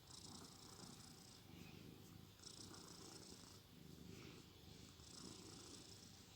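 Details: Sleeping domestic cat snoring: soft, breathy rasps in a slow rhythm, one breath roughly every two and a half seconds, in a quiet room.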